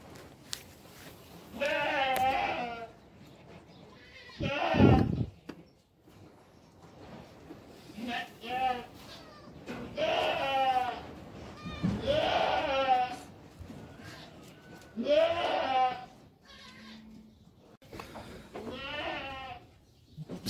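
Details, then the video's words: Young goat kids bleating, several quavering, wavering calls of varying length spread through the recording, with short pauses between them and some quieter background sound. "sevimli oğlaklar"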